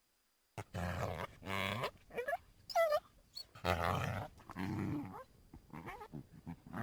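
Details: Coyote (Canis latrans), growls and whines.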